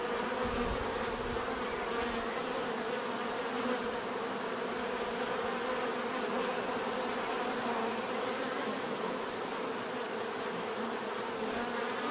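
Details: Unbroken droning of many bees, a warm whirring hum holding steady in pitch and loudness throughout.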